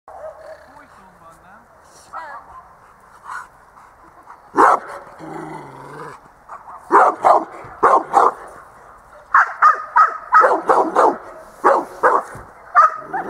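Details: Dog at a dog school session in December 2013, barking in short broadband bursts that come in clusters in the second half, with a trainer speaking and praising in Hungarian between them.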